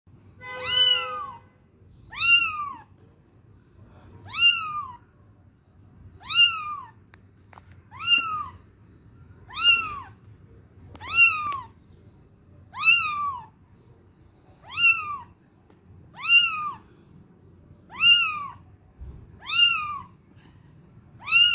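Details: Little kitten searching for its mother, mewing insistently: high, arched cries that rise and then fall, repeated about every two seconds, eleven in all. A brief steady tone sounds at the start over a faint low background hum.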